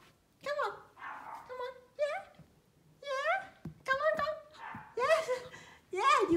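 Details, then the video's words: A tiny Pomeranian puppy, afraid to step down from a step, gives high, thin yapping barks and whiny yips while a woman coaxes it encouragingly. "pomeranian puppy barking afraid steps adorable bark cute sounds"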